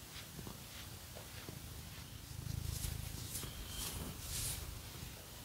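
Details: Purring from Phoenix, a domestic cat getting a scratching massage indoors: a low, pulsing drone grows stronger partway through, accompanied by light scratching sounds.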